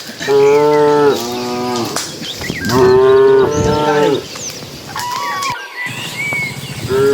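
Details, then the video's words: Cattle being herded into the pen at the start of evening, dozens of animals: repeated loud, harmonic moos, some long and wavering, overlapping one another. Light bird chirping sounds behind them. "Suara puluhan sapi saat memasuki kandang"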